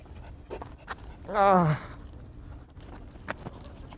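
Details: Dog on a car-camping outing at Jebudo, South Korea, 10 May 2022, giving one loud half-second harmonic whine that wavers and falls, framed by soft clicks, rustles and quiet background murmur.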